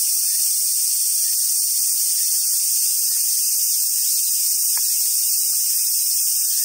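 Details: Cicadas singing in summer at Awaji Island Monkey Center, Sumoto, Hyogo, Japan, home to wild Japanese macaques; a loud, unbroken, high hissing drone fills the whole stretch, with a few faint clicks beneath.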